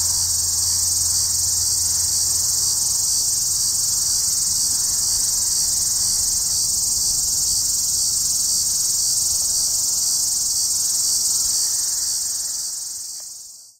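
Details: A Hadoa duryi cicada in juniper trees near Walsenburg, Colorado, July 2, 2012, at 2:38 pm on an overcast afternoon: a continuous high, sizzling buzz that holds level, then fades and stops near the end.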